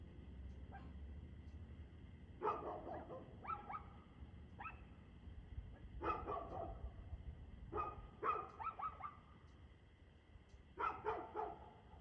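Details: Dog barking on 2/6/2024 at 6:02pm, evening; sharp barks in short bursts of two to four, spread across the recording with brief pauses, over a steady low background rumble.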